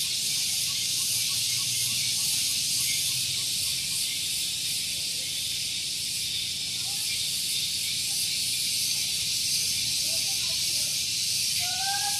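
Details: Morning chorus of cicadas at Gunung Geulis in Bogor, West Java, recorded close to a car park: an unbroken, shrill, hissing buzz held at constant loudness, a few faint short whistles near the end.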